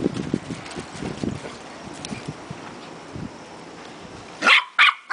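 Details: Two puppies at play in a backyard: soft rustling and scuffling thumps for several seconds, then a burst of two or three loud, shrill yips close together at the end.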